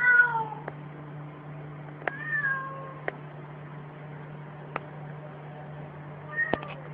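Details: Domestic cat meowing indoors: three clear, tonal meows, each gliding downward in pitch, one at the start, one around two seconds and a shorter one near the end. Sharp clicks fall between them over a steady low electrical hum.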